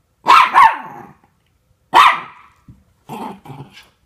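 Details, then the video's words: Norfolk Terriers play-wrestling as two dogs keep a third, Ernie, under control: a quick double bark, a pause, a single bark, then short grumbling growls. "Norfolk Terriers Keeping Ernie Under Control"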